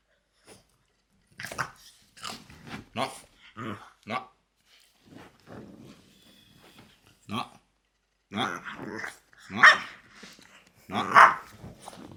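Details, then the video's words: Loki, a French Bulldog, making odd vocal noises: irregular short harmonic grunts and yelps in uneven bursts, louder, brighter yelping cries near the end, with a few quiet gaps between outbursts. "French Bulldog Makes Weirdest Noises You've Ever Heard!"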